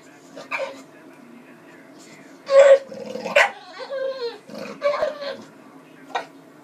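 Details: A hungry bulldog vocalizing for food: short harmonic yelps and whining bursts with brief growly edges, scattered irregularly with quiet gaps between, over a low steady indoor hum.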